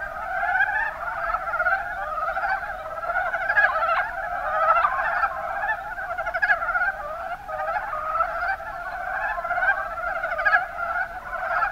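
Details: Mountain brown frogs calling together in Kumamoto Prefecture's Kuma Basin, Japan; an unbroken mass of short, grating croaks repeats throughout, rising and falling in loudness without gaps.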